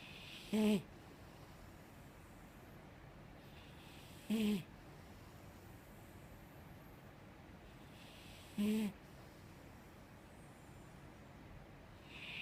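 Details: Five-year-old female Mastiff asleep, snoring softly in a steady rhythm: three short buzzy snores, each about four seconds apart, with quiet breathing in between.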